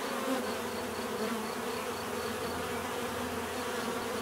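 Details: Many bees buzzing as a steady, dense low hum with layered drone tones, unbroken throughout; a faint, evenly pulsed high ticking runs behind it.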